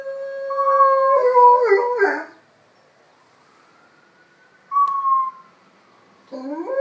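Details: Howling at sirens, Enzo the 6-pound Miniature Pinscher holds a steady tone that cracks into quavering, broken notes, falls silent while a siren wails and sweeps, then starts a new rising howl at the end.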